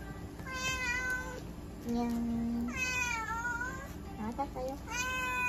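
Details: Russian Blue cat named Shion at a veterinary clinic in Nagoya during a blood pressure test, giving three drawn-out meows that rise then fall, with a steady electronic hum and a woman speaking softly in the room.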